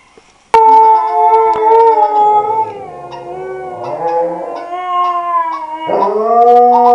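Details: Siberian Husky breaking into a long, wavering, tonal howl that starts abruptly, sags lower in the middle, then rises again into a brief yelping swoop near the end.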